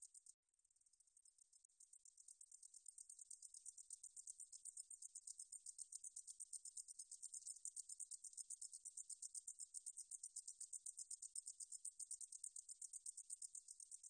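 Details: High-pitched pulsed buzzing of a meadow katydid (등줄어리쌕쌔기), National Institute of Biological Resources, 2020. After a brief gap it starts softly and swells into a continuous, even run of rapid ticking pulses lasting over thirteen seconds.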